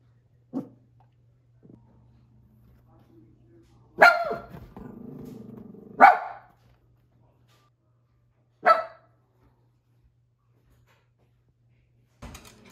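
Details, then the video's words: Trying to scare off a herd of deer, Olive the cavapoo lets out three sharp, single barks spaced a few seconds apart. There is a faint low rumble after the first bark and near silence between barks. "My Dog Tries to Scare Off Deers But They Are Not Too Worried"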